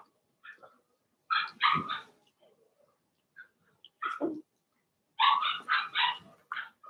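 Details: Cavalier King Charles Spaniel puppies from a Blenheim litter of six in their puppy pen yapping: high, sharp barks in quick clusters of three or four, separated by brief whines and short pauses.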